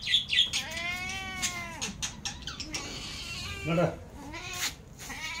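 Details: Cat meowing for food: a long drawn meow sliding down at the end, followed by shorter whiny meows, with faint squeaky chirps and some background voices or rustle.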